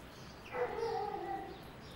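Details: Basset Hound on a walk, giving a single drawn-out whining howl of about one second, a steady tonal voice with clear overtones, against a quiet outdoor background.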